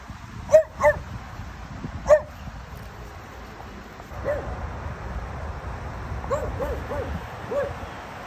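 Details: An 8-month-old lilac blue merle French Bulldog male with tan points, barking at a cat, gives short, sharp barks, a few close together then fainter ones after a pause.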